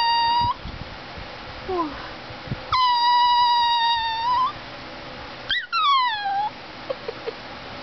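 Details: Gizmo, a talking greyhuahua (Greyhound–Chihuahua mix) indoors, gives long sustained whining tones with rich overtones, some bending down in pitch, separated by brief pauses and quieter low murmurs.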